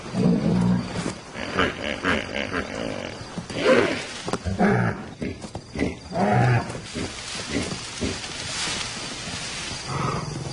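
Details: Young wild lions, still uncoordinated cubs out playing after dark; rough, throaty growls and snarls in short bursts, repeated every second or so, with a lower rumbling growl at the start and end.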